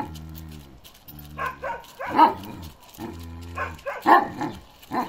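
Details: A karakırçıl Kangal named Balyoz, a male aged 15 months, gives a few deep barks about once a second, some in quick pairs, between stretches of a low humming drone.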